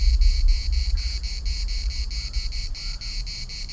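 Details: Cicadas at the municipal park in Larnaca produce a throbbing high buzz in rhythmic pulses, with a strong wind gust at the start that fades.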